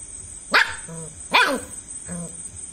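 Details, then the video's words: German Shepherd puppy confronting a cockroach, giving three short barks: two sharp, bright yaps about a second apart, then a softer, lower bark; steady high electronic whine underneath. "cockroach vs German shepherd puppy"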